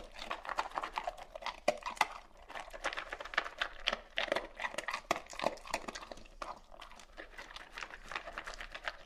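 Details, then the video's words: Pet dog eating and drinking water indoors: dense clicking and clattering bursts, like kibble against a bowl, with scattered sharp taps through most of the stretch. "Dog eating and drinking water SOUNDS OF FOOD DOGS"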